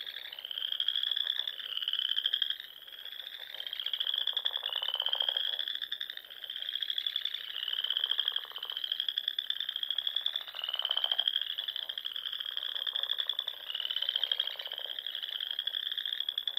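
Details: Spring frog chorus at dusk by small lakes and ponds in the Nebraska Sandhills: overlapping high, sustained trills that swell and ease roughly every two seconds, over a buzzy, pulsing lower layer of croaks.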